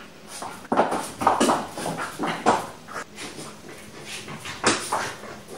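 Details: French bulldog Pixel, unwatched indoors, savages a new toy: a run of gruff, snuffling growl-like bursts roughly every half second, mixed with panting breaths and scraping of the toy.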